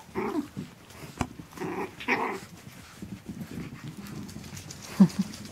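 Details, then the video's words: Chihuahua puppies Asher and Indigo, 12 weeks old, playing on December 3rd 2013: low rumbling play growls in short bursts, ending in a brief sharper yip. "Chihuahua playtime with Asher and Indigo"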